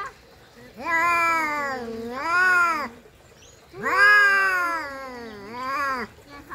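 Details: Domestic cats in a fight trade moaning, undulating yowls, two paired bouts each with a rising then falling pitch, separated by a short quiet gap.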